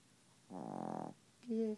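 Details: A female Chihuahua, asleep and refusing to wake, snores with a buzzy, fluttering rasp, then gives a brief higher tonal breath.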